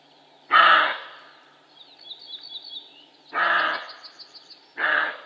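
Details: Barking male roe deer: three gruff, explosive barks, the first alone and the last two closer together, each harsh and throaty, with small birds twittering softly in the gaps between them.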